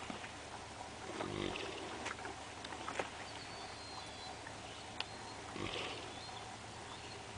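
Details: Theodore the Great, or Teddy, a 4-year-old Haflinger gelding, naps on a lazy Saturday morning at Camp Cherith in the Adirondacks. He gives breathy, rasping snores about four seconds apart, with faint birdsong and outdoor hiss behind.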